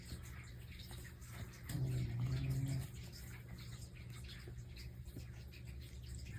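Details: Indoors, a pet cat from the pair called Mei and Totoro gives a single deep, buzzing snore lasting about a second, surrounded by quiet steady background hiss.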